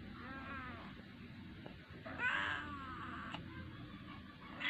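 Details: Cute kitten coaxing for food. Gives one clear, drawn-out harmonic meow near the middle, with fainter mewing at the start and a steady low background hum throughout.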